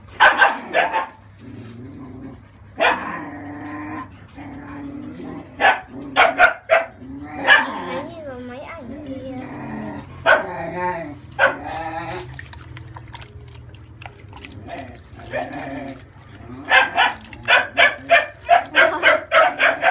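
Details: French Bulldog puppy at thirty days old protesting a bath meant to clear crusty skin: wavering whines and rapid, repeated high yelps in quick bursts, mixed with a person talking and running water.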